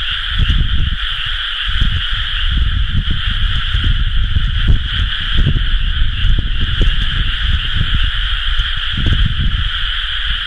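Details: Frogs in rice paddies at rice-planting time, recorded 30 May 2011, forming a seamless high trilling chorus in two layers, with faint scattered high ticks and a strong low rumble throughout.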